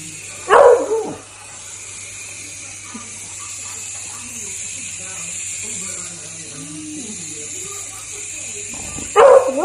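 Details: Beagle puppy barking: two loud, harsh barks, one near the start and one at the very end, with a steady electrical hum and soft indoor background sounds in between.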